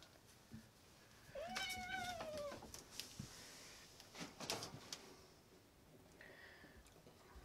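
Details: Male domestic cat giving an annoyed meow while his owner cleans his fur after diarrhea; the owner reads it as 'leave me alone'. One drawn-out, rising-then-falling meow lasts about a second, amid handling rustles and clicks.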